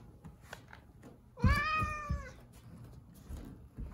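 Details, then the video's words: Zefir, a domestic cat in a bad mood guarding the kitchen, lets out a single one-second drawn-out moaning yowl, slightly falling at the end, over low indoor thumps and rustling. "I'm already afraid of him! He won't let me pass"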